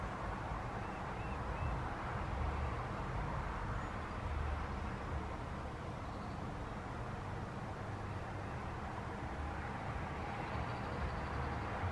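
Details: Steady rumble of passing vehicles and road traffic outdoors, with no animal voice heard.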